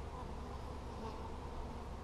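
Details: Hive of honey bees on 17 July 2020, box heavy and packed full of honey as it is opened; a dense, even low hum of many bees throughout, without breaks.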